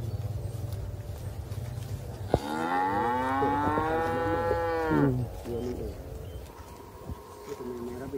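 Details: A tame, friendly calf kept close to its keeper in a village, said to be a cow from Thailand, gives one long moo of nearly three seconds with rich harmonics that rise then fall. Low hum and brief speech surround it.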